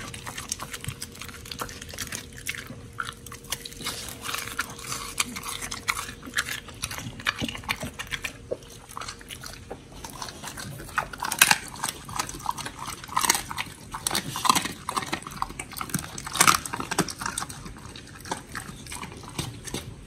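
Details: Pit bulls Oli and Nommy eating raw food, including giant white snapper, on a raw-feeding diet, recorded October 21, 2023: wet crunching and sharp bite clicks spread across the stretch, growing louder after the midpoint, over a faint steady hum.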